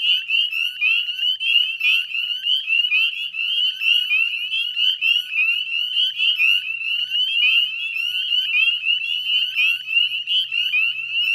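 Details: At the Chezzetcook salt marsh wetlands, Nova Scotia, northern spring peepers fill the May 2020 dusk with a relentless chorus of shrill, rising single-note peeps, tightly overlapping and ringing without pause.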